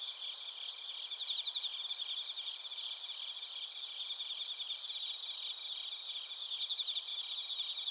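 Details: Soft chorus of crickets and bell crickets in Narita, Chiba, Japan, made with a TASCAM Portacapture X8; many high trills overlap in an even hum, with brief bursts of rapid chirps rising above it.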